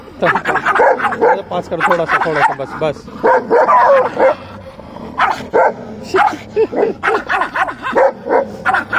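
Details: Puppy and dog play fighting, giving a rapid run of short harmonic yips, barks and growly whines in bursts, with music and human laughter around.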